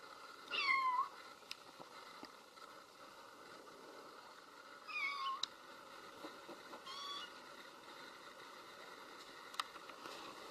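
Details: Baby kitten meowing because its mother cat is absent: three short, high, wavering meows near the start, middle and two-thirds point, separated by quiet pauses over a faint steady background hum.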